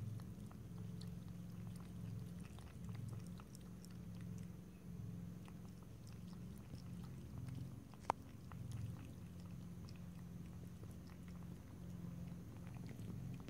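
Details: Pet cat lapping and licking water, no voices. Soft quick ticking laps continue at an uneven pace over a steady low droning hum, with one sharp click midway.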